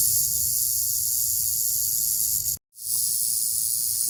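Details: Rattlesnake rattling in a steady high-pitched hissing buzz, cut by a sudden moment of silence just past two and a half seconds before resuming unchanged.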